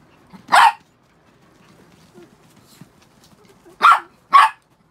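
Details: One of six pet Chihuahuas, freshly shampooed, lets out a sharp yap, pauses amid faint rustling, then gives two quick shrill barks in succession.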